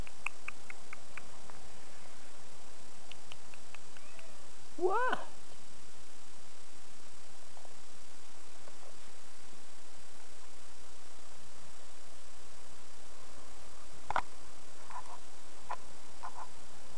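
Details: Outdoor kitty named Henry lets out one clear rising meow about a third of the way through, followed by faint scattered clicks and low steady outdoor rumble.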